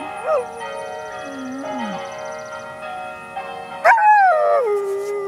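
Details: An 8-month-old Berger Picard puppy howls in wavering, sliding notes, singing along as church bells ring steadily behind it.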